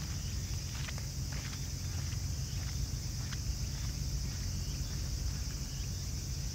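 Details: Raccoon dog family feeding side by side, their crunchy chewing heard as scattered crisp snaps spread unevenly through the stretch, under a heavy low rumble and faint high background hiss.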